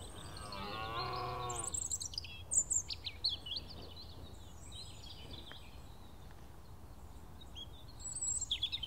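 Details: A large red deer stag roars on a clear, misty morning during the dawn chorus, a short, deep, groaning roar followed by the chirps of small birds.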